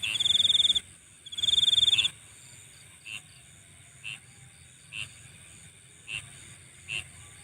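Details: Insect at night giving two short bursts of shrill pulsed trilling, then falling quiet except for soft single chirps repeated about once a second.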